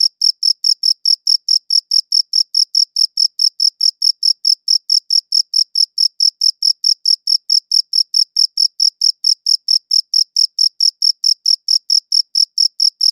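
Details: Crickets chirping, recorded in high-quality WAV: a clean, steady train of bright, high-pitched chirps repeating several times per second, evenly spaced and unbroken, with a faint higher overtone and no other sounds.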